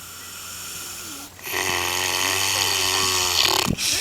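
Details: On a New Zealand farm, a pig snores heavily: a quiet start, then one long, loud, gravelly rasp lasting about two seconds, ending in a sharp snort.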